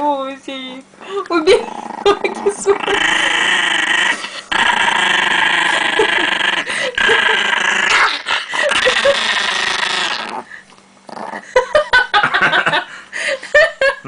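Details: Chihuahua, described as very angry, guarding pancakes indoors at home: brief yips, then a sustained harmonic growl lasting several seconds, followed by scattered clatter and talking.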